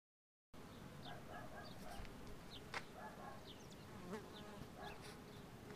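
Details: Many bumblebees swarm a wisteria tree in full bloom in spring in Southern California, their steady low droning hum filling the air, with frequent short chirps from birds scattered throughout.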